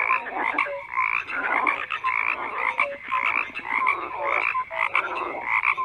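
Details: Many frogs croaking at once, a thick layered chorus of short repeated croaks and brief tonal notes, about one strong pulse per second.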